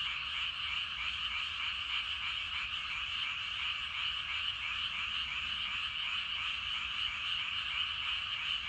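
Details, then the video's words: Dense chorus of many frogs calling in rice paddies in the evening; a continuous overlapping trilling roar with rapid pulsing, steady in loudness throughout, no other sounds standing out. "저녁때 논에서 개구리 울음소리가 대단합니다."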